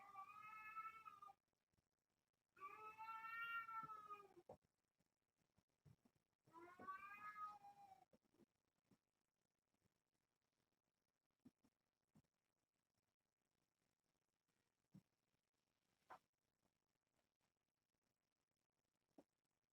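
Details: Kittens from a litter of seven born on June 21st to Nala Se, a year-old rescued stray at Purrfect Pals, indoors at play in the evening; three long harmonic meows, each about a second and a half, then quiet scattered clicks and taps.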